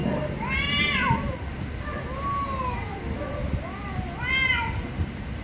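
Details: Angry cats meowing loudly: a bright wailing meow opens and another closes, with softer drawn-out, falling meows between them and a low background hum.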